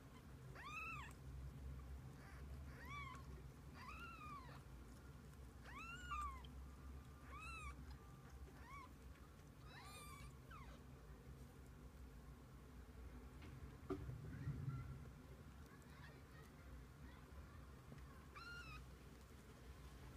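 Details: Kittens together with the mother cat, giving faint, short arched meows spaced a second or two apart, fading out in the later half, with a low background rumble and a soft thump near the end.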